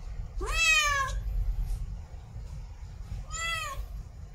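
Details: Female cat in heat, mate calling: a long wavering meow that swoops upward at its start, followed about three seconds later by a shorter, flatter meow, over a low room rumble.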